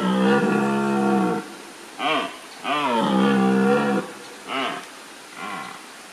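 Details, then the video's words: Red deer stag roaring at Wildpark Gersfeld in the Rhön, early morning while still dark. One long, deep harmonic bellow lasts over a second, followed by three short, grunting barks, recorded on a GH4 camera. "Röhrender Hirsch, Red Deer"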